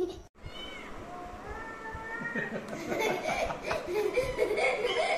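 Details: Pet cat making a drawn-out, steady-pitched meow that swells into a louder, wavering cry, while people talk and laugh close by and household noise rises in the background.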